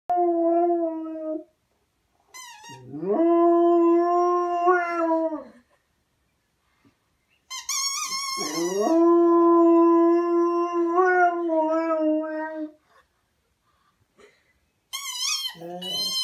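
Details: A husky howls along to a squeaky toy, giving long, steady, mournful howls between bursts of shrill, wavering squeaks from the toy.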